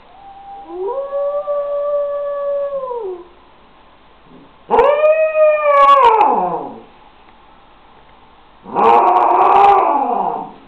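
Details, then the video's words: Six-week-old wolfdog pup howling in three bouts: a smooth, level harmonic howl, then a rising, wavering howl breaking into rough yelps, then a noisier, strained howl, with quiet pauses between. "Wolfdog pup howling"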